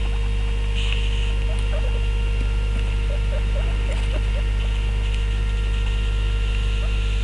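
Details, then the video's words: At meal time, a trio of guinea pigs (two males, one female) gives a run of brief, chirpy squeaks repeated several times per second for about three seconds, set against a steady background hum. "Guinea Pig Trio - Meal Time吃飯啦!"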